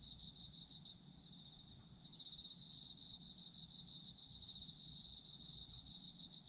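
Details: Autumn insects singing together: a steady, shimmering high chorus of pulsed trills on two close pitches. It starts softer, then swells louder after about two seconds, over a faint low rumble.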